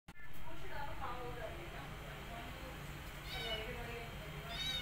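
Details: Rescued mother cat tending her adopted kitten and her own kittens; late in the clip, two thin, rising, high-pitched mews ring out over a steady low hum and murmuring background sound.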